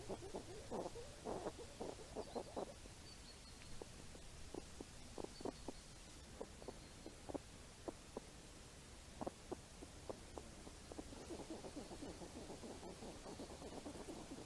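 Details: Grunting from wild hedgehogs foraging for apples during rain, heard as scattered short low snorts, in a dense cluster at the start, then isolated single grunts, and a busier patch near the end, over steady background hiss.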